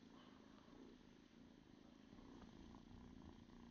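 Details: A house cat's purr, a low vibrating drone with a quick, even flutter that carries on without pause and swells slightly toward the end. Faint hum in the background.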